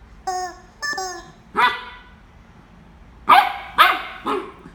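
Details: A corgi fighting with a chicken: two clipped, tonal squawks open, then a single loud bark, a pause, and a rapid pair of harsh barks near the end.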